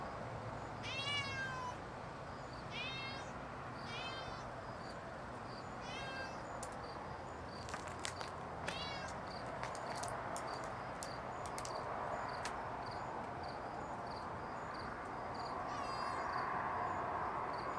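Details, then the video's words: High, quavering meows from a house cat slipping away from a balcony come in a quick run of four during the first seconds. Sharp clicks and tapping follow over a constant hiss of ambient noise. "Mon chat qui s'évade du balcon Cat escaping from balcony"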